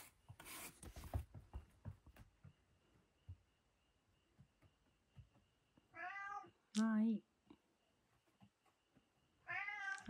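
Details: Domestic cat at dinner time indoors: after clattering and eating noises, three meows with rich stacked harmonics, each under a second, around six and a half seconds in and again at the end, in a quiet small room.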